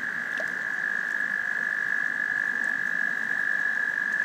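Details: Frogs giving a love song: a steady, high, continuous trill holds at one pitch without a break, loud and even throughout, over a faint low rustling background.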